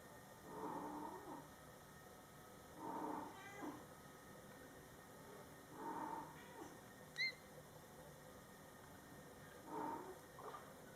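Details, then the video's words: Coco, a mother cat, talks to her Scottish Fold kittens in their first month after a July 22, 2012 birth: short, low, nasal meows repeat about every three seconds, with one brief higher squeak between them in a quiet room. "Mom Cat Talking to her Cute Meowing Kittens"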